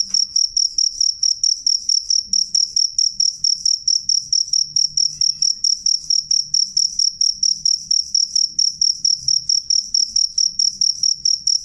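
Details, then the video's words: A cricket sings clearly and loudly, each short shrill chirp following the last at a brisk, even pace of roughly three per second, over a very quiet low hum. "suara jangkrik jernih keras"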